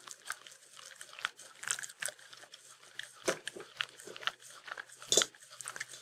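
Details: Sheltie named Mindy eating peanut butter in a small room, her tongue producing crisp, sticky clicks and smacks in rapid uneven succession, with one louder slurp near the end.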